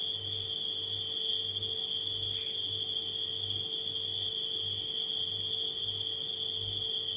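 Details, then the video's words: Nighttime crickets hold a bright, even trill at a fixed pitch, with a brief higher flicker near the middle and a refrigerator's pulsing low hum in the background. "Crickets & Refrigerator Humming Sound"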